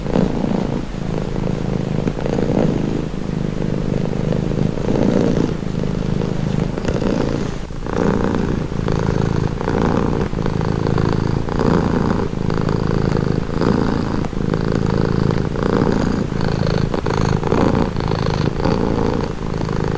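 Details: Domestic cat purring steadily and close, a continuous low rumble pulsing in breathing cycles of roughly one to two seconds, with faint higher rustles; presented as a calming, relaxing sound.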